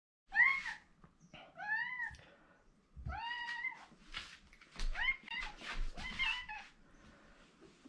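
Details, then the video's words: Domestic cat named Mike, fond of his owner, crying insistently indoors; a run of about five meows, each rising then falling, some short and chirpy, others drawn out, packed closely over several seconds with small room noises. "マイクなぜ鳴くの？ He likes me so much, but Too noisy."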